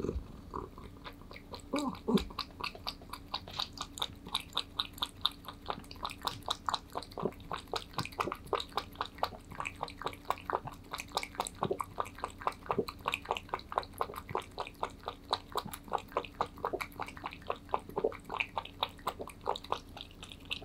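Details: Pet cat Aman eats kibble greedily indoors, recorded up close for ASMR: steady dry crunching bites, several per second, with brief pauses and no other sounds.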